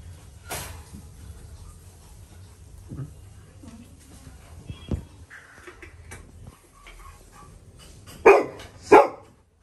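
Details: A Labrador Retriever puppy gives two loud, sharp barks in quick succession after a quiet stretch; his loud barking bursts a balloon.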